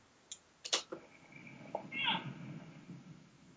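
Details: A cow elk gives a demanding mew at the end of July: a brief, punchy, nasal mew that rises and falls, preceded by a few sharp clicks. This forceful contact call asks 'where are you' or 'come to me'.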